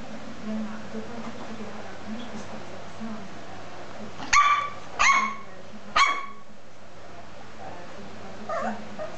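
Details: A 13-week-old Lhasa Apso puppy playing with a teddy bear gives three sharp, high yips about a second apart.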